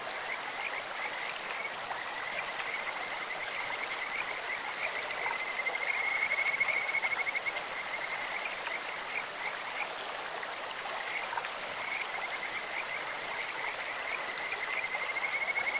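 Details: Clear-stream recording of Kajika frogs: high, thin trills come in repeated bursts, loudest around the middle, with brief gaps between phrases, set against a continuous roar of running water.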